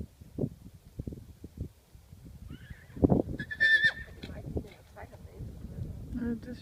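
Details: Foal giving a brief high, wavering whinny lasting about a second and a half, amid Danish conversation between people and light thumps of hooves or movement.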